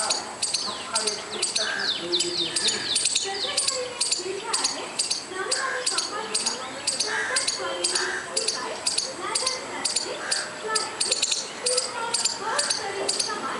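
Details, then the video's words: Squirrel calling repeatedly for no apparent reason: sharp, high, clicking chirps in fast regular bursts throughout, over a busy background of varied bird chirps and whistles. "squirrel making noise without any reason"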